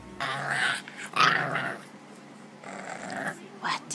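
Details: A dog growling indoors in rough, rumbling bursts that swell and fade over a few seconds, with human speech mixed in between the growls.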